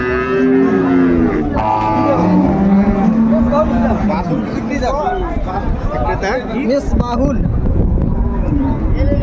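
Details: At Ambari cattle market, Dinajpur, on 21 March 2025, with cows and calves for sale, a drawn-out low moo opens the recording, then fades under loud overlapping talk and crowd noise.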